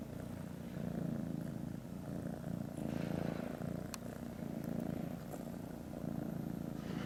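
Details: Kitten purring among a group of kittens after a new grey kitten has joined them; a steady low rumbling purr swelling and easing with each breath, with a few faint clicks and a soft background hum.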